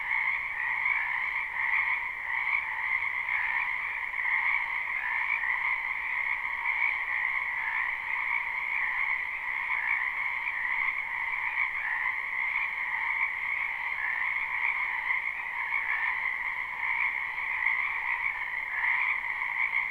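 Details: Spring wetland frogs in a live, unlooped recording, their croaking merging into a constant overlapping chorus, steady in loudness, with flickering pulses of many callers layered over each other.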